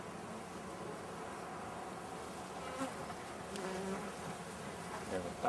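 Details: Massed buzzing of a honey bee swarm during an inspection and powdered-sugar treatment against varroa: continuous low droning hum of many bees, with a few soft knocks and handling clicks rising toward the end.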